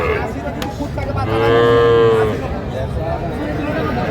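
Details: Cattle at a market in Faridpur, Bangladesh, where small bulls and heifer calves are sold: one long steady moo of about a second, tonal with many harmonics, over constant crowd hubbub and nearby chatter.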